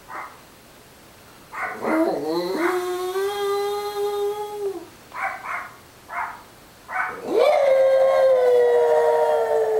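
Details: Munchkin, a small dog boarding on Long Island, howls in long steady tones that rise then hold and slowly sag, with short breathy yelps between two drawn-out howls.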